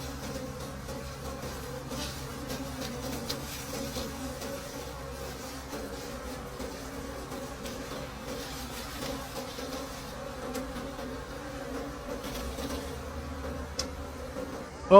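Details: Wild bees buzzing at a hive deep in a forest during a late-season honey harvest; a steady low droning hum runs throughout, with scattered clicks and handling noises and a sharp knock at the very end.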